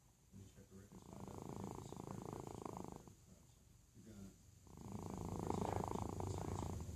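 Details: Sleeping domestic cat snoring: two long, rough, rasping breaths, each lasting about two seconds, separated by a brief quieter pause.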